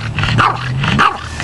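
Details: A female Boston Terrier playing in water gives drawn-out, moaning 'talking' sounds that rise and fall in pitch, seemingly asking for water ("I want water").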